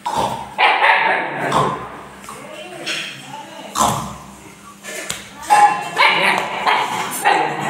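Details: Siberian Husky puppy and mother playing, with repeated yipping barks and harmonic whines in irregular bursts over steady background noise.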